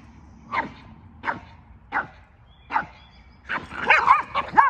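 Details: Boston Terrier and Keeshond playing together at jousting: four separate short barks spaced under a second apart, then a quicker cluster of overlapping yips and barks near the end.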